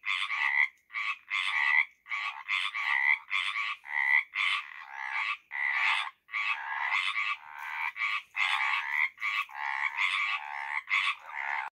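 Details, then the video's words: Tree frogs call in spring, giving quick, raspy bursts repeated about twice a second in a steady chorus. "Tree frogs spring song"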